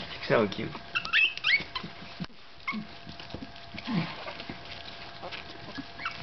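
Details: Gladius, a 15-day-old Staffordshire Bull Terrier puppy, gives thin high squeaks that rise and fall in a quick burst early on, then fainter whines, while people talk softly nearby.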